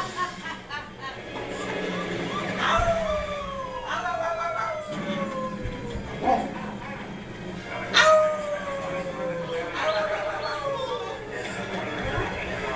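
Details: Pepper, a blue merle Great Dane, excited while family members play with her, 19 March 2010; several drawn-out howls that slide downward in pitch, each starting high and trailing off, repeated every few seconds over steady household voices and background hum.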